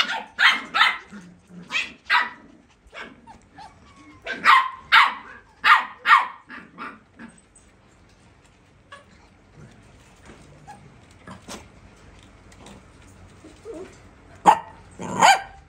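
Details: Purebred Pembroke Welsh Corgi puppies playing without stopping at a kennel: clusters of shrill yapping barks, several in rapid runs, then a quieter stretch of soft grumbles before a final burst of yips.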